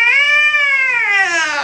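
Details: Single loud, angry yowl from a male cat being examined, a sustained moaning tone held steady and then sliding slowly downward.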